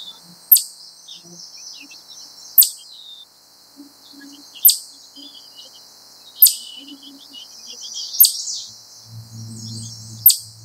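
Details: A wild chipmunk gives sharp, high single chips about every two seconds over a steady high hiss; later it stands up and the calls gradually speed up.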